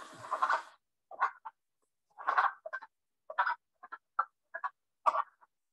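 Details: Wood frogs in Northwest Ohio give short, raspy clucks and chuckles in irregular bursts with brief pauses, hoarse and hen-like, like flustered hens, unlike the comb-like trill of chorus frogs.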